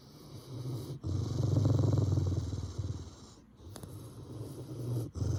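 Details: A grumpy Rottweiler gives a low, rumbling growl in throaty pulses with brief pauses between.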